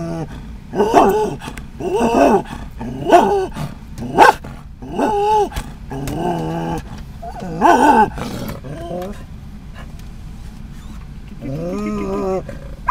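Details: A Scottish Terrier riding in a van barks at other dogs and cats in a run of loud, ringing harmonic bursts about once a second. A softer, drawn-out voiced sound follows near the end after a brief pause.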